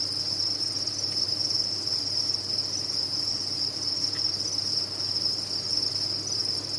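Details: Crickets kept on a cricket farm produce a constant shrill chorus, a level high band of massed chirping. A single faint click near the four-second mark, with a low hum underneath.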